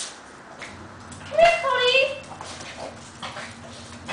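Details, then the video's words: Papillon and shih tzu greeting their returning owner at home, excited whines: a rising then falling whimper with bright harmonics near the middle, short yips around it, with a person's speech in the background. "My doggies welcoming me home from my trip"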